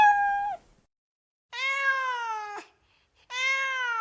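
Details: Meowing cat, high-quality recording: three long, drawn-out, rich harmonic meows, the first steady and ending in a downward slur, the next two held for about a second with a slowly falling pitch.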